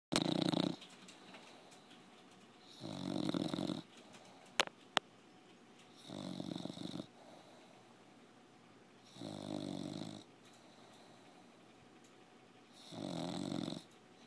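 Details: A sleeping pet bulldog snoring indoors: five long, rasping breaths spaced about three seconds apart, each a broad, noisy rumble, with quiet gaps between and two sharp clicks midway.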